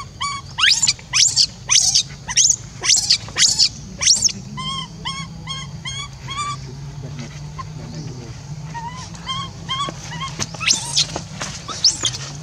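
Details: Orphan monkey Rainbow, left to stay alone, keeps crying for Libby to return. Sharp piercing screams come first, then a steady series of short, clipped, whistled squeaks. Quieter calls continue toward the end.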